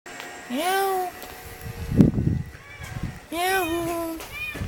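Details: Cat met in a neighbourhood alley in Jeonju, North Jeolla Province, Korea, giving two drawn-out meows that rise then slide down, about three seconds apart, with a brief human voice and rustling between them.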